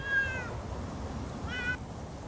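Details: Two Siamese cats, Otani and Yozora, walking off-leash in a meadow; two drawn-out meows, the first falling, the second rising, a second apart, with low background rumble.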